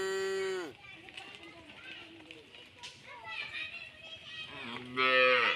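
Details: Tame cows returning from village rice fields give loud, drawn-out moos that fall in pitch at the end, with quieter background sounds between.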